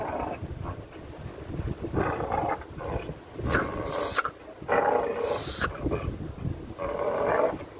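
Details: A young pit bull pup playing and pulling on a leather glove growls in low, rough bursts, with a few bright scraping noises between.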